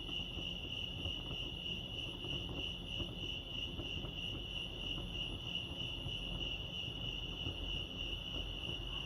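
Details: Lake Arrowhead crickets in California give a constant bright, finely pulsed chirping tone, unchanging across the recording, with quiet low background hum.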